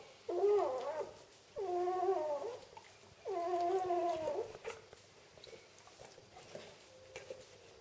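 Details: Three drawn-out wavering squeals from newborn Vizsla x Labrador crossbreed puppies at birth, recorded during whelping indoors. Each cry is about a second long and slides up then down, with quiet pauses and faint soft squeaks between them.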